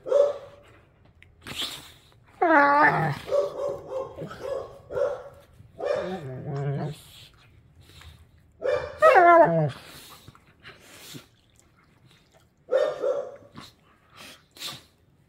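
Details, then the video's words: Pit bull puppies play-wrestling, the baby-toothed pup snarling at a patient rescue pit bull: rough nasal growls, rising whiny yelps and sharp barky snarls in irregular bursts, with brief quiet gaps between. "Pit Bull Puppies wrestling: Epic Growling & Snarling"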